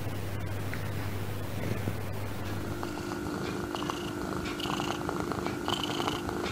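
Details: Affectionate pet cat purring: a low, steady rumble for roughly two seconds, then fading into a faint tonal hum with scattered soft clicks and handling noises.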